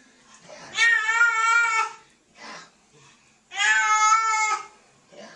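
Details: Kitten in a bath, upset by the water: two long, loud, even-pitched meows, each over a second, spaced about three seconds apart, with faint soft sounds between.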